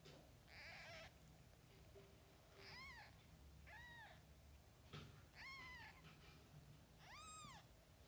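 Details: Mother cat with her kittens, several high arched meows with harmonic stacks, spaced about every one to two seconds, over a low steady hum.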